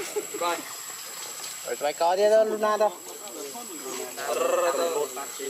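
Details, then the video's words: Luno, a baby monkey left crying in the water by his mother, screams in drawn-out, wavering wails, one louder sustained cry in the middle and shorter quavering calls around it. "Poor baby monkey Luno screaming till mom leave him cry in the water"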